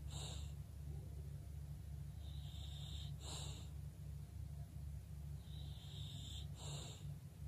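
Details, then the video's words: English bulldog asleep, snoring: a breathy hissing rattle rises on each inhale and ends in a sharp snort roughly every three seconds, over a steady low hum. "bulldog snoring"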